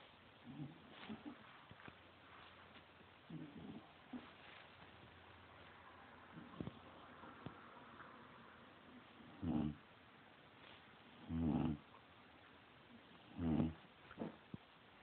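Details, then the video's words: Bulldog snoring indoors: soft, low rasping breaths that grow into three louder snores about every two seconds near the end, over a steady background hiss. "my bulldog snoring"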